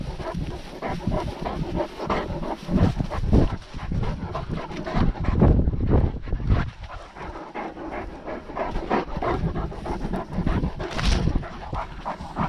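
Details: Great Dane panting on a walk, recorded on a GoPro worn as a dogcam during lockdown; rapid, rough, breathy pulses about twice a second, mixed with low thumping footfalls and movement rustle.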